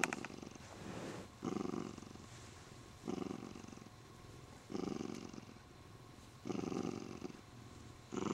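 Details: Male Siamese cat indoors, pampered and happy while being stroked, clutching his owner's arm; steady rumbling purr that swells into louder broadband pulses about every one and a half to two seconds, with quieter stretches between, and no other sounds.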